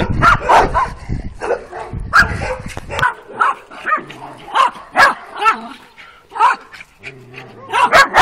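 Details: Working-type Kuvasz puppies, two females aged twelve weeks, barking on their first street walk on 28 April 2017. Short, high barks repeat roughly every half second, first over a low rumbling noise, then more clearly, with a few whiny tones between.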